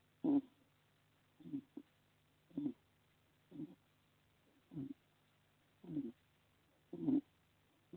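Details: A sleeping hedgehog snoring in a shelter in a garden in Las Merindades, Burgos, Castilla y León, Spain. Short, low, rasping snores come regularly about once a second, each followed by silence, with a faint steady hum behind.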